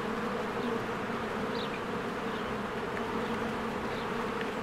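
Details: Honeybees in spring flying in and out of their hive while flowers bloom: a steady, dense low hum with layered droning tones and faint short bird chirps high above.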